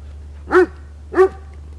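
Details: Dog barking during rough play-wrestling with its owner: two loud, short, harmonic barks about half a second apart, each with a slight rise and fall in pitch, over a steady low hum.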